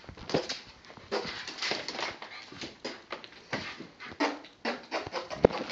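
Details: Bentley, a pet dog, going crazy indoors after hearing fart sounds, gives rapid rough whining yelps and a few sharper barks, closely packed with little silence between them.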